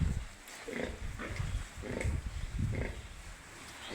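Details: Piglets on a pig farm giving short low grunts spaced about half a second apart, with a few brief higher squeaky notes over a rumbling low background.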